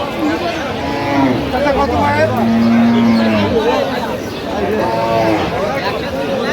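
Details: Cow lowing at Aftabganj cattle market, where cows and calves are sold, 11/10/25: a drawn-out, even moo of over a second midway through, with men bargaining and greeting each other throughout and a busy crowd behind.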